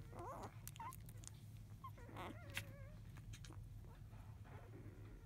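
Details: Five-day-old field-type Labrador Retriever puppies left alone while their mother eats, just after 1 pm; scattered thin whimpers and short wavering squeaks, some quick and trilled, over a steady low hum.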